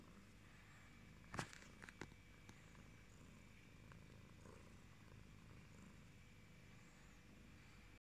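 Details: Yellow-coated British Shorthair pet cat giving a continuous low purr, a soft rhythmic rumble throughout, with a couple of sharp clicks or taps near the start and a faint steady background hum.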